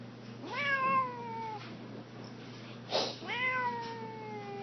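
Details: Pet cat, a male, at home with a 12-year-old girl: two drawn-out meows, each rising sharply then sliding slowly downward over about a second, spaced two seconds apart, with a soft thump between them in a quiet room.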